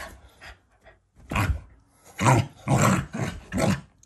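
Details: Affectionate growling from a Shiba Inu family dog that is not angry: a few quiet rumbles, then three loud, deep, throaty bursts in quick succession, heavy in low tones.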